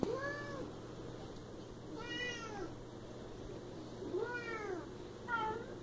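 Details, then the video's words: Siamese cat named Bella meowing indoors: four drawn-out, arched meows with rich harmonics, each rising then sliding down, spaced about two seconds apart over a faint steady hum. "Siamese Cat & Cat sounds"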